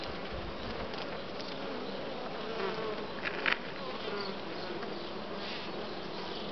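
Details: Honey bees at brood comb with uncapped larvae give a dense, steady buzzing hum, many wings droning at once.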